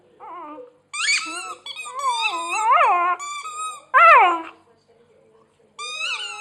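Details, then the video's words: Dog whining while chewing a squeaky hedgehog toy: a run of high, wavering, harmonic whines that rise and fall, some sharp squeaky peaks, with short silent gaps between bursts. "jault wenn er auf seinem Quietscheigel kaut"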